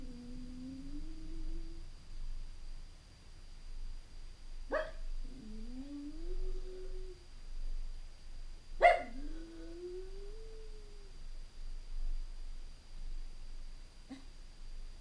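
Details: Stanley, a Jack Russell Terrier left home alone for a few hours and watched by surveillance camera, gives drawn-out nasal whines that rise and then level off, three in a row, broken by two short sharp yelps, over a faint steady electronic hum.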